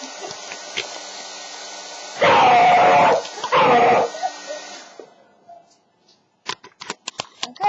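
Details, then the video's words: Frightened beagle puppy Chief gives two loud wavering howls against the continuous whir of a blow dryer; the dryer then stops, leaving scattered clicks and knocks. "Beagle puppy terrified of blow dryer"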